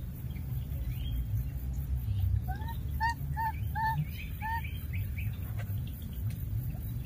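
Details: Wild baby monkey that lost its playmate, calling again and again: a run of about eight short, arched, whistled notes with faint overtones, spaced under half a second apart, over a steady low rumble.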